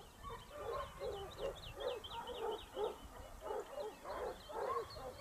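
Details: Basset Hound pack of Topsfield Lebrera in their second year hunting, 2015-16 season, Spain; overlapping hound bays and yelps pulse about twice a second, with thin high bird-like chirps above and low rumbling background noise.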